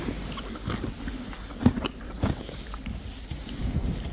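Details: Friesian horses and foals eating hay, recorded as ASMR: soft, irregular crunching and grinding bites in quick bursts, a louder crunch near the middle, over a low steady background rumble.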